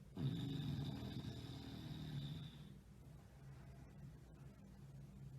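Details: Sleeping bulldog snoring: a low, rumbling, raspy snore of about two and a half seconds fading into soft breathing, with faint clicking noises afterward.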